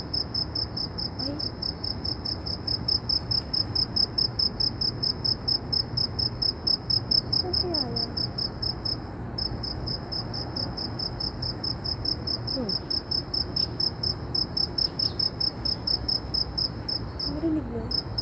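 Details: Insect in Saudi Arabia with a notably loud voice, sustaining a long train of piercing high chirps, several per second, pausing briefly midway before resuming, over low continuous background noise.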